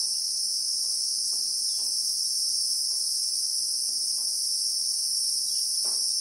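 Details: Christmas beetle (Anoplognathus) in South African acacia bushveld, recorded in real time: a steady, shrill, unbroken high buzz in two bright bands, with faint scattered low ticks and knocks beneath.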